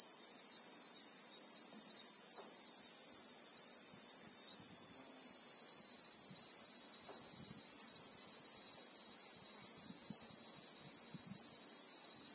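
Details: Christmas beetle (Anoplognathus) chorus in the South African bushveld among acacia trees, recorded in real time: a shrill, unbroken high-pitched drone in two steady layered bands, one band shifting slightly after a few seconds, with faint soft ticks and rustles beneath.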